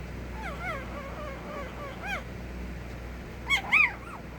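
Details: Puppy giving soft, wavering whimpers that slide up and down, quiet at first, then two brief louder yelping whines near the end over a steady low hum.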